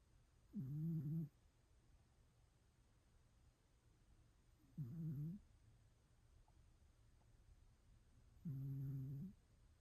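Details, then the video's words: One-eared domestic cat snoring indoors: three short, soft, throaty snores with a humming, tonal quality, each about half a second, spaced roughly every four seconds against a quiet background hum. "The Cute Little Snoring Cat With One Ear"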